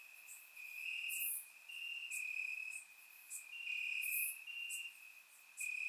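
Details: Warm summer night in Bulgaria, crickets trilling in the grass, recorded in surround sound; an unbroken high metallic trill with several callers overlapping, loudness rising and falling in waves of one to two seconds.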